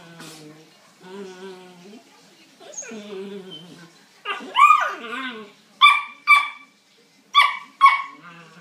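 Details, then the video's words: Two male Kuvasz dogs, one 10 weeks old and one 14 months, fighting: drawn-out whimpering whines first, then sharp, high yelping barks, about five in quick pairs over the last three seconds. "Kuvasz fighting"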